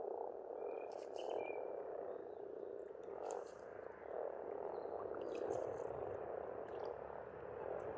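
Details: Over eight seconds, pond frogs on an Estonian farmstead in spring croak together in a continuous, surging chorus, joined by brief high bird chirps and scattered clicks.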